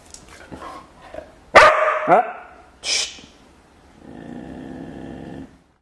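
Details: Dog, normally silent for days, barking indoors after a spoken command; a few soft sounds, then two loud harsh barks near the middle and a sharp yelp, followed by a steady hum.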